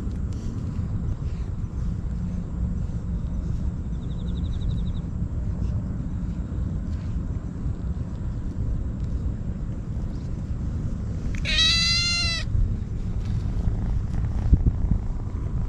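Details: Stray kitten eating Churu and Sheba treats and crying desperately, captured with a GoPro: one clear meow of about a second with a slightly falling tone, set against long stretches of low traffic-like rumble.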